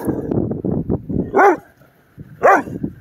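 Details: Three-month-old Doberman puppy named Nixon barking at a sign on the way to the dog park; two sharp, arched barks about a second apart, with a man's coaxing speech around them.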